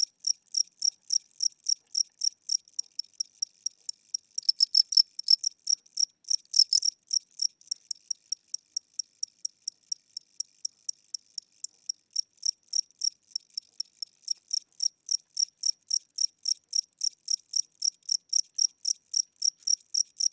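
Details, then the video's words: Indoor cricket singing at night, described as old and tired with slow wing speed; rapid train of thin high chirps, briefly louder and blurred around the middle, then steady again, quiet room. "Cricket Chirping Sounds: Low Battery"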